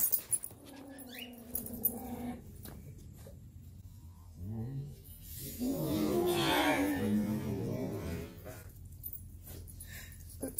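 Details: Three tiny Chihuahuas barking at the same time during a hiking trip with other dogs; a thin whining tone opens, then a louder, rough burst of overlapping barks swells and fades, with faint music in the background.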